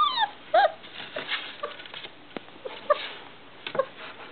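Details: Three-and-a-half-week-old Irish Setter puppies fretting to leave their box: a sliding high whine opens, then a few piercing yelps and soft whimpers, mixed with light scuffling and knocking sounds.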